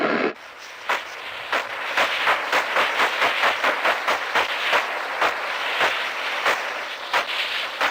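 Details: Sperm whale (Physeter macrocephalus) clicks, sharp broadband knocks repeating about every half second over a steady high whine, recorded through the microphone of a 1964 American submarine.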